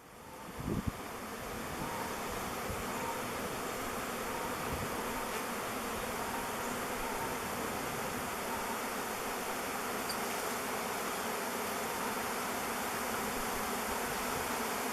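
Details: Swirling mass of thousands of honey bees about to descend on a log hive and enter its mouth entrance; loud sustained buzzing drone that swells after a quiet start.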